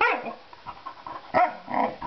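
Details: Female puppy throwing a temper tantrum indoors in a kitchen after being denied her daily biscuit for jumping: a loud falling whine, soft yips, a sharp bark midway, then more whining, with a person speaking calmly nearby.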